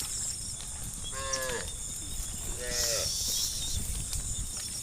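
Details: Herd cows wandering a country road at evening, calling companions back to the barn; two short, faint, distant moos about one and a half seconds apart, largely masked by a strong, constant high-pitched hiss.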